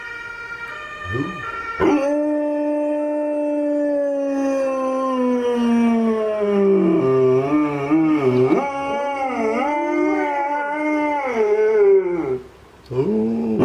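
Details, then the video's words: Male Alaskan Malamute Tarski howling in response to a siren, with another female malamute in the background; one long, smooth howl slides slowly downward, then turns wavering and wobbly, breaks off briefly near the end and starts again. "Malamute Tarski howling to siren - Malamut Tarski und die Sirene"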